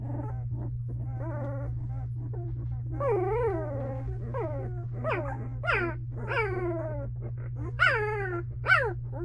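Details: Belgian Malinois puppies, two weeks old, in a whelping box with their mother Misty: soft grunting squeaks giving way to drawn-out wavering whines and sharp high yelps that peak and drop, low hum throughout.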